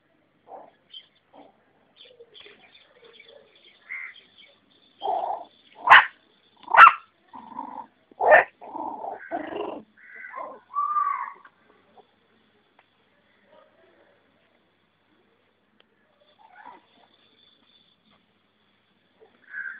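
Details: Puppies giving a burst of loud, sharp yelps and short barks, clustered in the middle stretch, with scattered soft whimpers and squeaks before and after in otherwise quiet surroundings.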